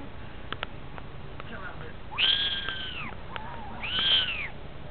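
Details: Munchkin kittens kept in a hamster playpen when little, two clear rising-then-falling meows, the second a little over a second after the first, with a dog's name spoken and some thumps beforehand.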